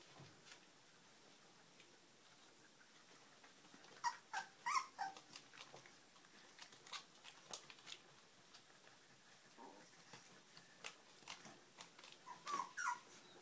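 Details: Puppies giving scattered thin high whines and yips indoors, brief rising squeaks clustering around the middle and near the end, amid tapping and rustling.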